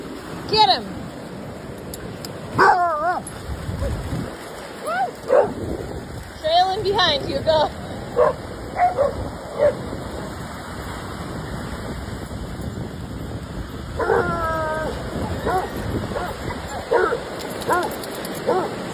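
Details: A German Shepherd at play lets out a run of high, bending yips and short barks, some in quick pairs, spread across the stretch, with a voice calling encouragement and a constant rushing background.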